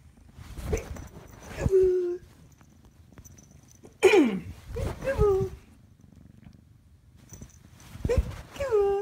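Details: A three-month-old Bengal kitten playing peek-a-boo indoors gives short high meows and chirps that slide downward, in three clusters a few seconds apart, with quiet pauses between them.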